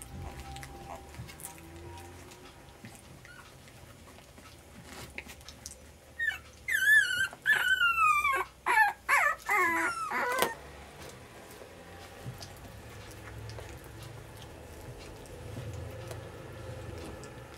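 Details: Puppies on day 23 at dinner time, one named Sparky, break into a burst of high, wavering squeals and whines lasting about four seconds, with soft indoor rustling and low hum before and after.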